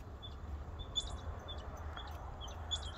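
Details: Several squirrels call across the property, answering one another with short, high, sharp chips over a low outdoor rumble.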